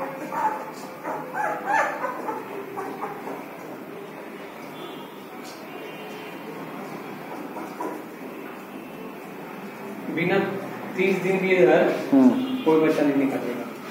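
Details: Labrador Retriever puppy in Patna city, India, yipping in short bursts early on, falling quiet for several seconds, then breaking into a cluster of high, whiny yelps and whimpers near the end.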